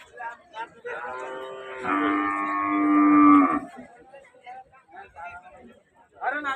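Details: Cow at Rajshahi City cattle market, Bangladesh, during a visit to buy cattle; one loud sustained moo lasting under two seconds stands out between quieter market chatter and background music.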